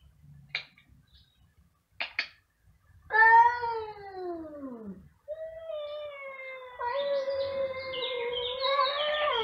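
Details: Two domestic cats meowing very loudly: after a few short faint calls, long drawn-out meows with rich harmonics, one sliding steadily downward, then a sustained wavering meow that grows louder toward the end.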